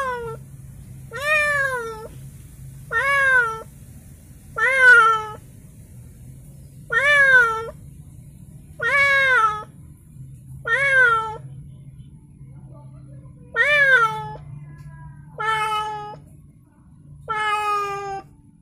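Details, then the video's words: A cat just received as a present from a friend of the owner's child, held in a small temporary cage, gives a steady series of clear, rising-then-falling meows roughly every two seconds over a faint low hum. "Ada temen baru kucing menangis"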